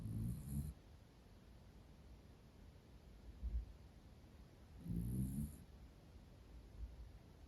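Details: Roro, a female Miniature Dachshund with a black and cream coat, born June 2010, sleeping contentedly indoors; low, rumbling, harmonic snores come in short bursts, three in under eight seconds, with quiet breathing between.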